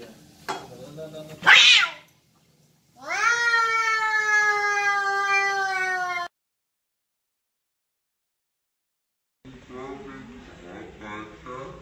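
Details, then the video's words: Fighting cats: a short, sharp screech, then after a pause a loud, sustained yowl that rises and then holds steady for about three seconds, followed by silence and a later stretch of quieter, warbling growls. "cat fight"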